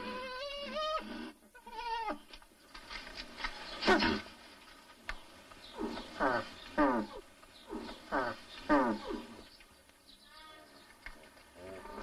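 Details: Nutria in mating, opening with two wavering harmonic moans, then a run of short, harsh grunting calls repeated roughly every second, fading to softer sounds at the end.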